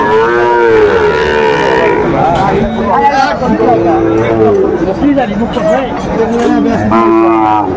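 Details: Sahiwal breed bull calf at a cattle market in Kurigram, Bangladesh, on 17 April 2025; long, low, harmonic moos at the start and again near the end, amid a crowd of men talking nearby.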